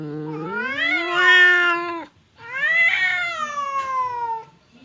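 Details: Temon, a fierce cat, and Lelo, a quiet one, confront each other across a partition as if about to fight; two rising, whining yowls, each a couple of seconds long, separated by a short silence.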